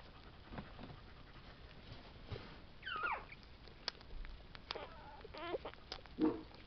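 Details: Tibetan Terriers from a litter born July 11, 2012, out of Ch Gold Jack' Daw Berta by Ch Araki Incognito. A few soft, high whimpers slide downward in pitch, with a louder whine near the end over a quiet, hissy background.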